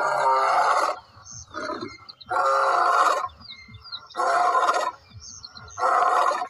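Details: Lion roaring: loud, harsh, broad bursts each lasting under a second, five of them in about six seconds, separated by short quieter gaps with faint low grunting between.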